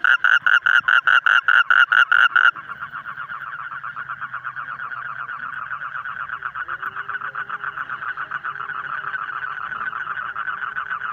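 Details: Frog calling in loud, rapid pulsed bursts, about nine croaks in under three seconds, then softer, dense continuous trilling from many callers that carries on steadily to the end.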